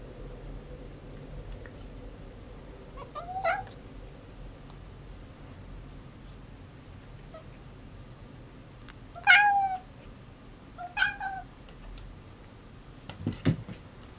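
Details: Silver Bengal cat Mica giving weird, chirping calls at home: brief upward-sweeping meows in small clusters, the loudest near the middle, over a constant low hum.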